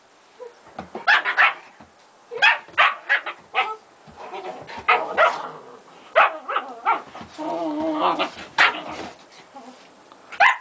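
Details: Gretta, a German Shepherd, at play with her puppies; a busy run of overlapping barks, yips and growly bursts follows in quick succession, with a longer rough, grumbling stretch near the end.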